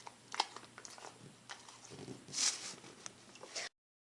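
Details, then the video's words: Puppy named Gabe eating a baby carrot, close up indoors: irregular crunching bites and wet chewing, with one loud crunch in the middle, then silence. "Pup Gabe Eating a Baby Carrot Sound Effect"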